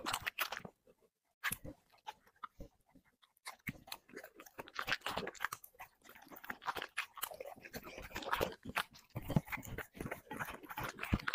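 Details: A dog feeding on chicken and vegetables for an ASMR mukbang. Steady close-up crunching and moist chewing run almost continuously, growing busier toward the end, with a brief pause early on. The room is quiet.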